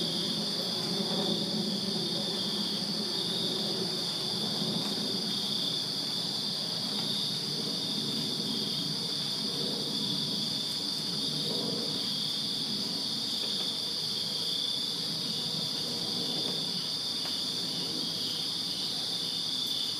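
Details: Summer-night cricket chorus in a Virginia backyard: unbroken high, ringing trills from many insects, with a low, murmuring background rumble, possibly passing vehicles, rising and fading underneath.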